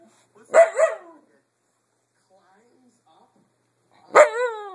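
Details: A dog indoors giving two sharp barks, a doubled bark near the start and a single harmonic bark near the end, separated by about three seconds of quiet.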